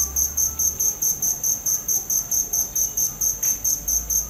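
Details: Cricket chirping steadily: a shrill, high, pulsed trill repeated about four to five times per second in an even rhythm, with no other clear sounds.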